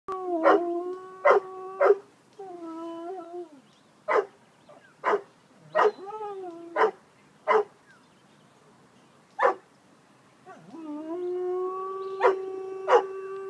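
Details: Bouvier des Flandres dog singing: sustained, wavering howled tones, some bending upward, broken by sharp percussive bursts, with a final long steady howl rising at its start.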